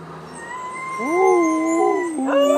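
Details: New Guinea singing dogs at Palm Beach Zoo sing, one giving a sliding, tonal howl that rises, holds, then bends lower.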